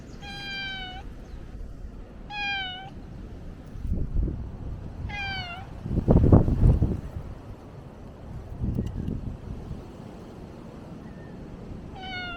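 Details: Stray cat on Ikeshima, a cat island, recorded between late 2024 and early 2025. Four clear, drawn-out meows fall slightly in pitch at the end, spaced a few seconds apart, between heavy gusts of wind rumbling across the microphone.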